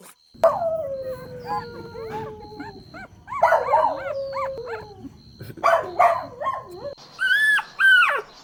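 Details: Golden Retriever puppies playing on lush grass, drawn-out wavering howls and whines that slide downward, overlapping with higher yelps, ending in two bright, rising-and-falling squeals.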